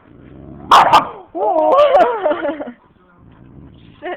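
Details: Husky and boxer at play; a sharp double bark leads into a loud, wavering, talkative yowl lasting over a second, then a soft low grumble, with someone speaking nearby.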